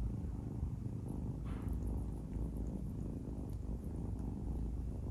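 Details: Adopted kitten purring while playing with and biting fingers indoors: a steady, low rumbling purr throughout, with a brief higher rustle near the middle.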